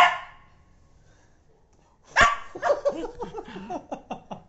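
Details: Pet dog with its tail blown on: a fading sound at first, then after a short gap a loud bark followed by a run of wavering grumbling whines and yips.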